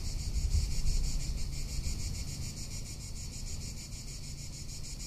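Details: Cicada calling in Tuscany in summer, a thin pulsing high buzz running throughout beneath strong, gusty wind rumble that peaks near the start.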